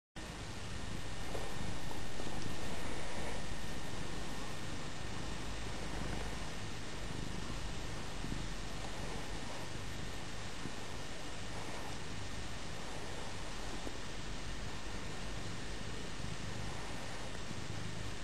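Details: Pet cat named Scruff, a female, purring steadily while enjoying being petted indoors; a continuous low rumbling throb, about four pulses a second, holding evenly throughout.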